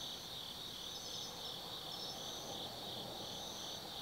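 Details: Chorus of autumn insects at night on the forested slope of Tsukimi no Mori, Kaizu, Gifu Prefecture, Japan, overlooking the Nobi Plain: fast, pulsing high-pitched trilling layered into a constant shrill wash, soft low background rumble.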